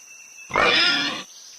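A pig gives one harsh, raspy grunt lasting under a second, rough and squeal-edged rather than deep, over a faint steady high-pitched hum.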